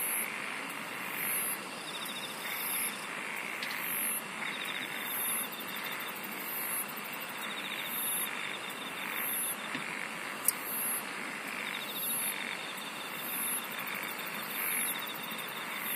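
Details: Insects singing together over a long stretch: regular bursts of shrill high-pitched pulsed chirps about every 1.3 seconds ride on an unbroken rasping buzz. One sharp click sounds midway.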